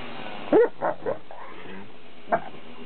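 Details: Leonberger puppies on a playdate: three quick yelping barks in a row, then one more brief yip after a pause, with a person speaking softly nearby.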